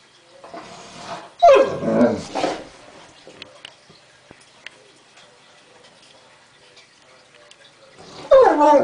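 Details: One-year-old male English Mastiff puppy on his first birthday, upset by ear medication for a mild ear infection and rolling on the floor. He gives a loud, drawn-out whining groan, then a long quiet stretch, then another whine at the end.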